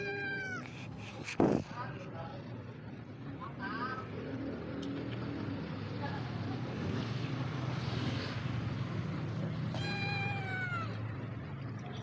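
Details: Hungry stray cat on the street giving a meow at the start and another falling meow near the end, separated by a sharp knock and steady low traffic or engine noise.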